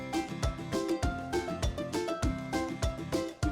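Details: Upbeat instrumental music with a quick regular beat plays, with no animal sounds heard.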